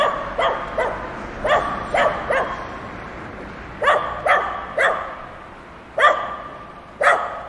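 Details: Dogs at play bark in short volleys: a few quick barks, a pause of over a second, then two or three more, each bark crisp and ringing with a brief tail.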